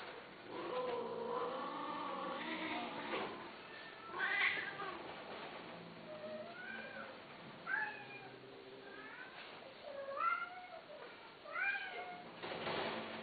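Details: Domestic cats: a drawn-out, wavering meow opens, followed by a string of short, clear meows that rise then fall, roughly one every one to two seconds, in a quiet indoor setting.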